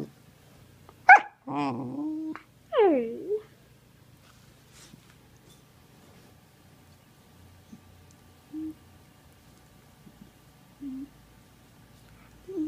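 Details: Young male Sheprador, an Australian Shepherd-Blue Heeler and Labrador mix, vocalising while playing: a sharp high yelp, then whiny squeals that slide downward over about three seconds, followed by a few soft, short whimpers in a quiet indoor room.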